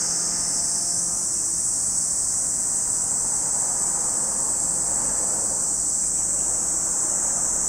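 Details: An unbroken high cicada drone at Lake Kamo, Sado City, Niigata, Japan, with a rumbling vehicle-like noise rising and passing beneath it.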